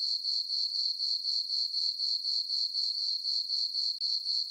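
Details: Crickets on a summer night in a moonlit farm meadow give a high, tinkling, rapidly pulsed chirp, around four pulses per second, steady to the end with one brief dip.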